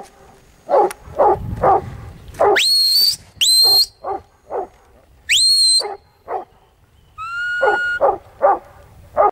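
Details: Huntaway barking in short bursts between long, piercing rising whistles and a flat whistle, with quieter gaps and some low rumbling noise near the start.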